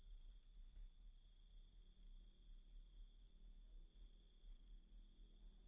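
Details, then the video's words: Tutor recording of a cricket for teaching kacer birds: crisp, high-pitched chirp pulses spaced evenly at about four per second, continuous from start to finish above a quiet low hum. "Ajari Kacer Mu Dengan Tonjolan Suara Jangkrik"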